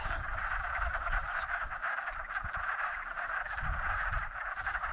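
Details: Spring mating chorus of wood frogs in a pond, many frog couples pairing up after migrating down a hill. A dense, steady mass of overlapping croaks forms a continuous mid-pitched din, with low rumbling noise underneath.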